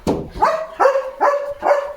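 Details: Leo, a German Shepherd, at home with a new pipe toy, gives four short tonal whining barks about every 0.4 seconds. Each begins with a sharp onset, then settles onto a steady held pitch, in a quiet indoor room.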